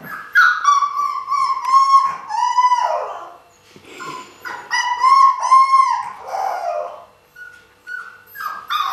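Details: Siberian Husky puppies filmed in 2015, whimpering and yelping in long bursts of harmonic, wavering whines that rise and fall, repeated rapidly in overlapping runs with brief quiet gaps.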